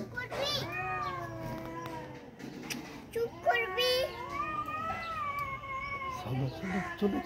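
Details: Two angry tomcats fighting, wavering drawn-out yowls overlapped by a man's voice speaking, plus some scuffling and clicking noises.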